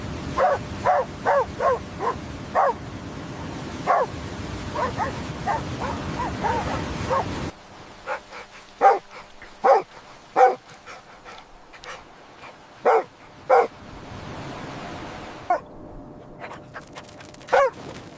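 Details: Puppies playing outdoors on green grass with baby rabbits give rapid, high yapping barks in quick bursts, then after a sudden cut, spaced sharper yips over a quieter background.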